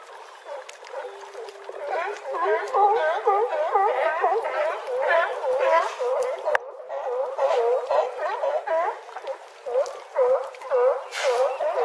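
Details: California sea lions hauled out on a harbor dock at Crescent City, California, barking in a dense overlapping chorus, many animals calling at once with rapid honking barks and splashes now and then; low frequencies filtered out to remove wind.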